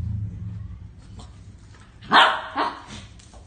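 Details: Belgian Malinois facing a small-breed dog: a low rumbling growl at the start, then one loud harsh bark followed by a shorter second bark and fading noise.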